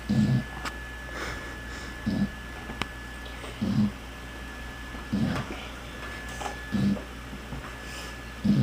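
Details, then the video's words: Pet dog Mya snoring really loud indoors, short rough snorting snores repeating about every one and a half seconds in a steady rhythm over low room noise. "Dog Snores really loud"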